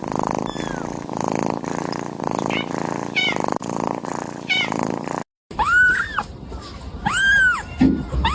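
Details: Kitten mewing over a steady musical background; the first half is largely masked, then two or three clear, high, arched mews stand out in the second half.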